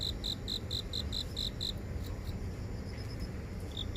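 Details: Grass insects in a residential garden in downtown Seoul, phone recording made on a walk near an office: a quick run of high, evenly spaced chirps that fades after under two seconds, with constant low urban hum beneath.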